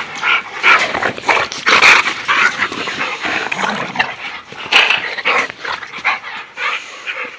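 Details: Play in a backyard among American bulldogs brings harsh, breathy yips and growly bursts in irregular clusters, several sharp loud peaks standing out, with a man's voice speaking Dutch nearby.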